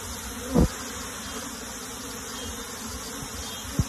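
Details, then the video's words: Honey bee colony being moved into a box: a steady, dense insect buzz fills the clip, with two short low thumps, one near the start and one at the very end. "PEMINDAHAN LEBAH MADU KEDALAM KOTAK"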